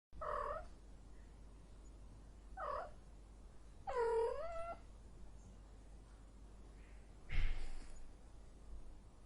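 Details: Domestic cat in heat giving short harmonic yowls, three brief wavering calls spaced a couple of seconds apart, the third longer with a falling then rising pitch, and a fainter noisy burst near the end over low steady hum.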